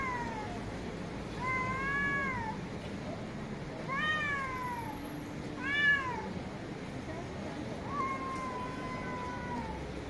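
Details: A domestic cat meows repeatedly, each call a drawn-out, wavering note that rises then falls.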